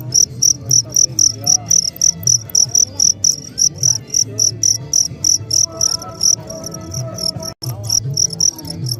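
A cricket sings steady, high, pulsing chirps, several each second, over a faint low hum.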